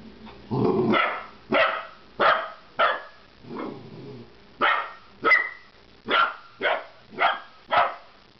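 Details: A Golden Retriever puppy, unsure what to make of a milk jug, gives a run of sharp, high barks, roughly two every second.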